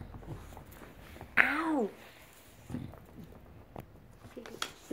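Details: Bulldog Enzo, back home after a stay with his breeder, seeking attention indoors: one loud, half-second whine arching up and sliding down with rich harmonics, followed by quieter rustling and a person's speech.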